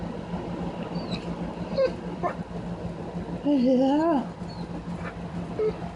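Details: Excited pet dog named Sugar, seeing a puppy across the street, gives a mysterious warbling sound: a wavering, up-and-down tonal whine lasting under a second, preceded by short faint squeaks, over a steady low hum and a person's soft talking.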